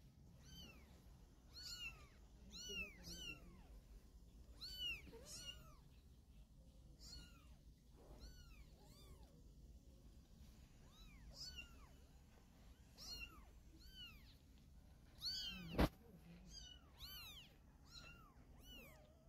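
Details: Cats: a mother carrying her kittens in her mouth, wanting to move them. Steady stream of short, high, rising-and-falling mews, several per second at times, a loud click near the end, faint room hum underneath.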